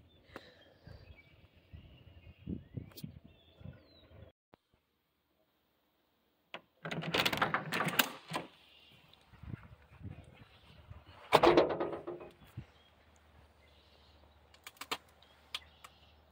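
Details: A Central Asian Shepherd Dog barking at geese outdoors: two loud, harsh bursts of barking around the middle, with quieter rustling and voices between them.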